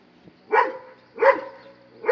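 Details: Dobermann barks at a monkey, two loud harmonic barks about 0.7 seconds apart, with the start of a third cut off at the end; faint background hum.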